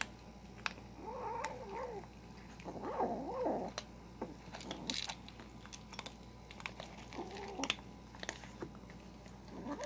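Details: Kitten growling while eating, indoors: several low wavering growl-yowls, each about a second long, rising and dipping in pitch, separated by quiet stretches with scattered clicks of chewing and handling noise over a steady faint hum.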